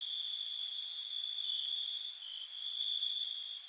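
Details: At night, a cricket trills steadily on one high pitch, joined by brief, very high chirps.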